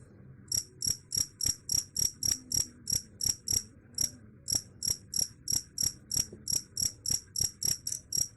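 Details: Shrill cricket chirps repeated quickly and evenly, roughly three per second, with a short pause near the middle before the series resumes over a soft low background rumble.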